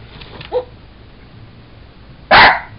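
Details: During play with a toy monkey, Sugar, a Jack Russell Terrier, gives a faint brief yelp followed nearly two seconds later by one loud, explosive bark.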